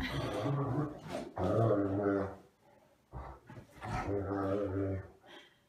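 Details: A Great Dane, one of two playing and dueling on a bed, gives deep, drawn-out grumbling growls with a rich, buzzy tone, in bursts of one to two seconds; Great Dane.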